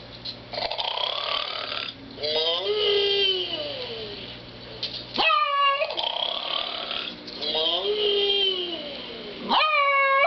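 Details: Kodak Berthiaume, a dog, barks at a snoring cow: two sharp, high, yelping barks with sudden onsets at about five and nine and a half seconds, set against a sing-song recorded voice and snore-like sounds.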